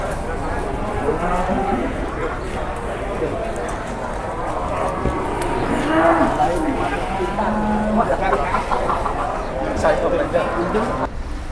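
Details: Jumbo cattle arriving at the Jelok livestock market, Boyolali, Indonesia, one morning; repeated low lowing calls rise and hold through the clip, with people talking nearby and general market noise.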